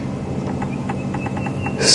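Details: Squirrel alarm calls heard from a safari vehicle on an afternoon drive at Djuma Game Reserve, 15 December 2015, as cuckoos fly off: a rapid series of short dry chips, several per second, over a rumbling engine, ending in a noisy burst.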